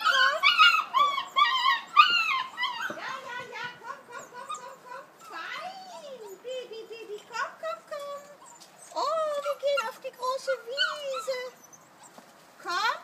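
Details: Kuvasz puppies, 5.75 weeks old, on their way to a big meadow run after whistle conditioning. Several overlapping high, wavering whines and yelps, some rising and falling, with short gaps and a person speaking.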